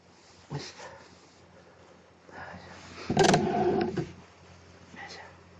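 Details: Plan, a pet cat in a Snow White costume, shown indoors for an encore after a birthday party, recorded 1 April 2017. One loud, drawn-out, harmonic meow lasting about a second follows softer short vocal sounds in a quiet room.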